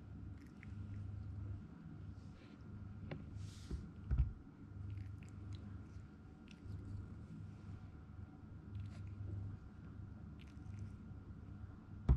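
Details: Male Toy Poodle puppy Zen, aged 62 days and weighing 1290 grams, chewing grain-free dog food in a small room; soft irregular crunches and mastication, a couple of louder clicks, steady low hum beneath.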